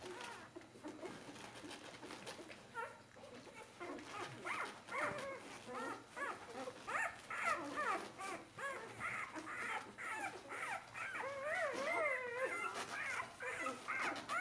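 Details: Nursing Bernese Mountain Dog litter at four days of age, crowding for milk; a near-continuous chorus of overlapping squeaky, bending whines and yelps from several puppies, growing busier and louder toward the end.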